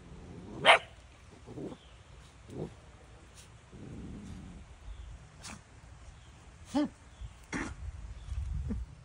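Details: A Great Pyrenees puppy gives a few sharp, high barks spaced several seconds apart, then gags.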